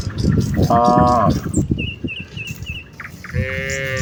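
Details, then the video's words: Morning herd of village cows on the way to the fields: one short harmonic moo over heavy footstep noise, then brief bird chirps and a faint higher call at the end. "A herd of village cows walk towards the fields with their distinctive "moo" sound in the morning"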